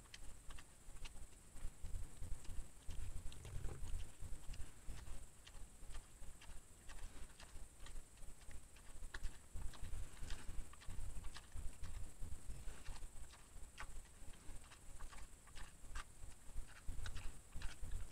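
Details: A wild boar caught on a trail camera at evening feeding crunches and snuffles as it eats, with steady chewing clicks in quick bursts over a steady faint hiss.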